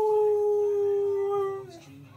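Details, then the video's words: Male husky's squeaky entrance: one steady, drawn-out whining squeak holding a level pitch, then trailing off and fading at the end. "Husky Makes Squeaky Entrance"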